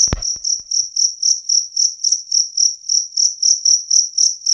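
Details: Loud, clear two-spotted cricket chirping: shrill, evenly spaced pulses about four per second, opening with a brief low thump before the insect's steady trill continues alone.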